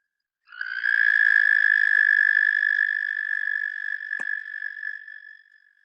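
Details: Singing male Eastern American toad: a long, high, even trill that rises in from silence, holds strongly for about four seconds, then weakens and tapers off, with a couple of brief clicks.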